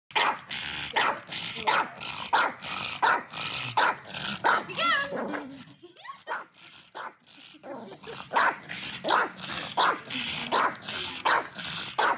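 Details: Dog barking continuously at something, a sign of annoyance or frustration: sharp, broadband barks repeated in rapid runs, pausing briefly in the middle with a few squeaky whining tones before the barking resumes.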